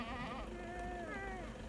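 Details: Goat from a herd in a Pakistani village giving a wavering, drawn-out bleat with rich harmonics that slide slightly down and up, lasting under two seconds over a steady low rumble.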